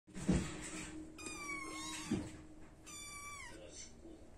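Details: Burmilla kittens in a cattery in Japan, brown shaded silver, black shaded silver and Asian tabby coats: two drawn-out falling meows, each about half a second, with soft thuds and rustling handling noise between them.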